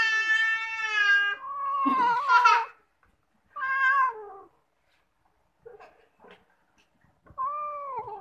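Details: A bathing domestic cat meows repeatedly: a long, steady wail, a rougher strained cry, a shorter falling meow, then a final rising-falling meow after brief quiet clicks, indoors.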